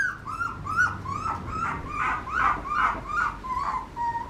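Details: Papillon puppy whining in a steady series of short, tonal whimpers. Each note bends up then down, about two or three per second, some with a yelping edge. A low background hum runs underneath.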